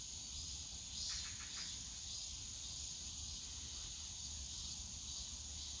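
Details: Cicadas buzz steadily in the bamboo forest of Yongsan Family Park on a summer day, a quieter high sustained drone with a brief scratchy burst near the start and low park noise.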